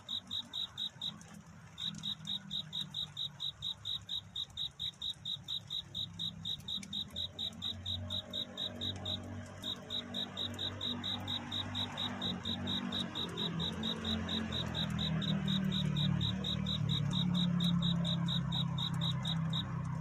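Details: Crickets singing at night in search of a mate, a dawn scene: steady high-pitched chirps repeated about twice a second, briefly pausing near the start, over a low rumbling background that grows louder toward the end.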